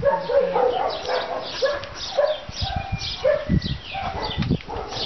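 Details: Ariel, a pet dog, mingling with other dogs: a busy stretch of repeated high yips and short whines, with scuffling and thumping noises in between.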